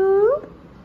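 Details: Domestic cat family, four-day-old kittens playing with their mother: one short mew about half a second long, rising in pitch and clearly harmonic, then quiet room noise.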